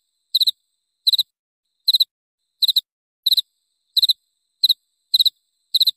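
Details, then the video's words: Cricket chirping, presented as a sound for repelling rats: nine short, high, clean chirps in six seconds, each a quick burst of two or three pulses, spaced roughly every two-thirds of a second with silence between and no other sounds. "Suara Jangkrik"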